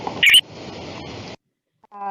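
A red-eyed coquí gives one brief, high chirp over a steady hiss.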